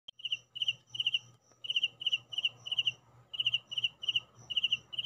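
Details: Crickets at home chirping in short bursts of three or four rapid high pulses, the bursts repeated in a fairly steady run with brief gaps, over a faint low electrical hum.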